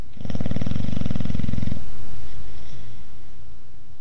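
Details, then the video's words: Ozzy, a Boxer dog that snores whether asleep or awake, gives one long, rough, rattling snore of about one and a half seconds, deep and throaty, then fades into quieter low breathing. "Boxer "Ozzy" Dog Snoring!"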